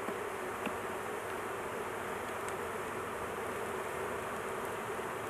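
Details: Honey bees at a large hive during a beekeeping intervention, the queen placed in a cage to avoid crushing her; a dense, steady buzzing hum holds throughout, with a few faint clicks and taps.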